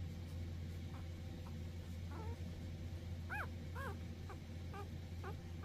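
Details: Cavalier King Charles Spaniels, three siblings, giving a run of high, arching whines and short yips, several rising then falling, spaced about half a second apart from mid-clip onward over a steady low rumble.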